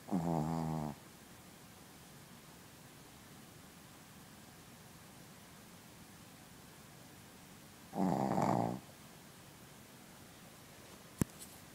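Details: Asleep, the Shih Tzu Princess snores twice, each a buzzy, harmonic-rich rasp about one second long, roughly seven seconds apart, followed by a sharp click near the end.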